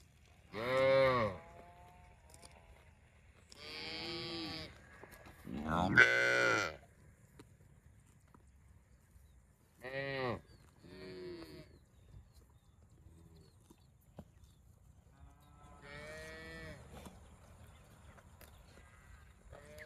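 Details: Several cows moo irregularly, about a dozen calls a minute: loud harmonic moos in a cluster early, then shorter, quieter lows and a faint, distant moo later, with little other noise.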